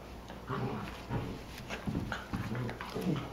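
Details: Three-month-old sisters Ripley and Vasquez, a Cocker Spaniel–Basset Hound mix about 12 pounds each, duking it out indoors; repeated low grumbling growls with small whining yips, fairly quiet throughout.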